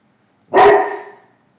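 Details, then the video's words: Single loud, broad, slightly drawn-out bark from a Bullmastiff, clean and isolated, with no other sound around it. "The Brave Bull(Mastiff)"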